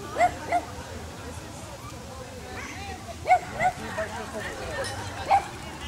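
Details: Dachshund with a rabbit, giving short yelping barks in pairs, two quick yips near the start, another pair past three seconds and a single bark near the end, over low background rumble.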